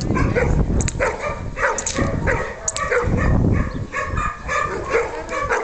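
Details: Barks from Senda the Hovawart in attack mode, short harmonic bursts coming roughly twice a second, with a muffled low background rumble.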